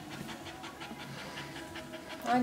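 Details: Labouring Staffordshire Bull Terrier bitch in a whelping pen, whelping her first pup. Soft, rapid breathy pants, about six per second, with a faint voice and a brief louder sound at the end.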